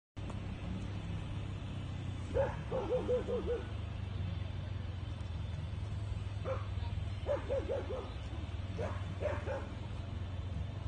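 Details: Yakutian Laika named Gardarika, eight months old, barking during training at an electric bear: bursts of harmonic barks around 2.5, 7 and 9 seconds, several quick barks in each burst, over a steady low engine-like rumble.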